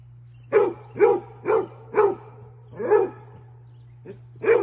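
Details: Basset Hound at play with deer, giving loud, deep, full barks in an even series about half a second apart, then a short gap and two more barks, over a low steady hum.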